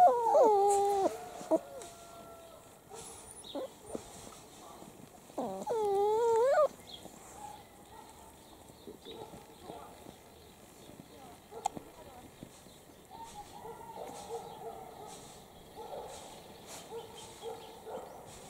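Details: Seven-week-old Italian Greyhound puppies from a first litter, playing outside in their enclosure. High whiny yelps with a wavering pitch come at the start and again around six seconds, with soft scuffling and quieter squeaks in between.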